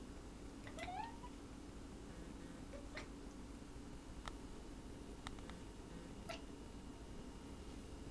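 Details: Pet cats running around indoors and chirping: one brief rising chirp near the start, followed by scattered sharp taps and clicks over a steady low room hum.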